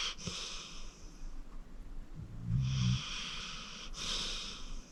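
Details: Deep-sleeping rescued pit bull Acorn, aged 14, snores indoors; airy wheezing breaths bracket a short, low guttural snore rumble near the middle, then another hissing breath.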